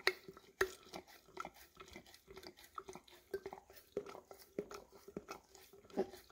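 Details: Golden Retriever (English cream) licking peanut butter out of an almost empty jar, recorded with a Samsung Galaxy S10e; wet slurping laps with crisp clicks, a strong one near the start, then a steady rhythm.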